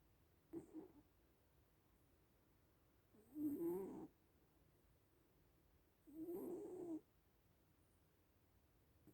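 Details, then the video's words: Little cats asleep and snoring: a soft click, then two drawn-out raspy snores, each nearly a second long and about three seconds apart, low and breathy with a hissy edge, in otherwise still surroundings. "Sleeping little cats (and snoring)"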